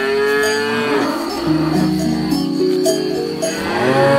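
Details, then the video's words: Grazing cattle lowing almost continuously, long overlapping moos of varied pitch from several animals, accompanied by a constant jangle of cowbells. "Cows Eating Grass"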